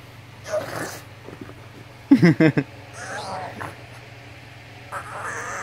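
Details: A pug gives a quick run of snorty, grunting yips over a steady low hum, the happy noises it makes greeting its owner home from work.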